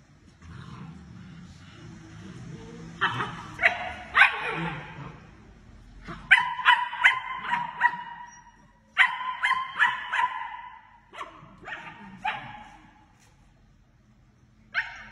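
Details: Young German Shepherd puppies yipping and whining in quick bursts, sharp high-pitched barks repeated several times a second, then pauses, with a low background hum between bursts.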